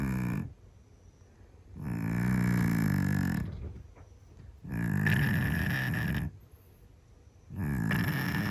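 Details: Sleeping Scottish Fold cat snoring very loudly indoors: deep, rasping, low breaths lasting over a second each, separated by quiet pauses, four snores in about eight seconds.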